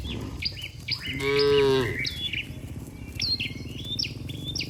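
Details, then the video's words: From a herd of dozens of tame cattle heading home to the barn together after a day in the field, a loud, steady moo of almost a second rises clearly, with sparrow-like chirps scattered before and after. "Suara sapi Moo"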